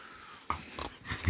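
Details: English bull terrier greeting its owner indoors after being woken in the morning: short low snorting grunts in three quick bursts, ending in a louder wheezy grunt.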